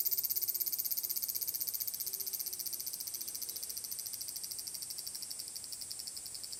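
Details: Summer song of the large brown cicada, recorded 30 July 2022 at Magarikawa, Furuta, Nishinoomote on Tanegashima island, Japan: high, hissing, rapidly pulsed sizzle that gradually fades in loudness across the recording.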